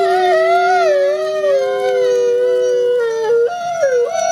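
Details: Paired howling by two ambassador gray wolves, siblings kept at a wolf conservation center: two sustained voices held at slightly different pitches, slowly drifting downward, then a sharp upward break and wavering near the end.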